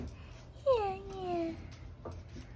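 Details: Pet Basset Hound, one of two named Ari and Musta, vocalizing indoors when asked to speak: a single drawn-out, tonal howl about one second long that starts higher and slides down, then levels off, over quiet room hum.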